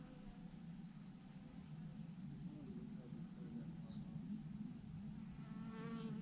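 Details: Thousands of swarming honey bees clustered on a branch produce a steady, rough low buzz, with one higher whine of a bee flying close at the very end.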